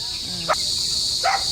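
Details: Crickets outside a friend's house at evening in the Philippines; a dense, steady high-pitched trill fills the background while a person's speech and brief voice sounds break in twice.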